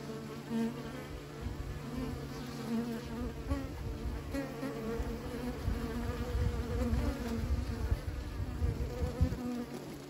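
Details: Honey-producing bees under keepers' care make a steady swarm drone, with strong low rumbling thumps, possibly handling or wind, beneath the continuous insect hum.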